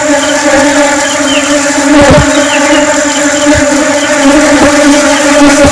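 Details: Honeybees buzzing in flight give a constant, low, reedy hum with strong overtones. A few short thumps sound around the second and fifth seconds.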